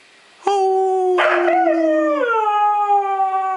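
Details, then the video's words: Young Siberian Huskies howling together: one long steady tonal howl holds level while a second rougher voice joins, bends upward and then falls, the two sustained notes overlapping for about three seconds. "Young HUSKIES HOWLING"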